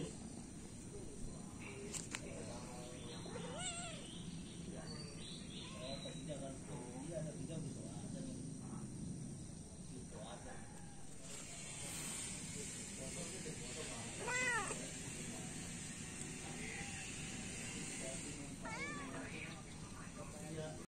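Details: Feral cats, three adults and a kitten, being fed in the morning: several short arched, harmonic meows rise and fall in scattered bursts, some in quick pairs, over a steady background hum with occasional human voices.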